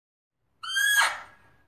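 A Fea's muntjac gives one loud, harsh, squealing call that starts tonal and breaks into a rasp.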